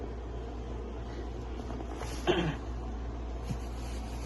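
Steady low mechanical hum fills the room, broken by one brief clatter and a faint tap.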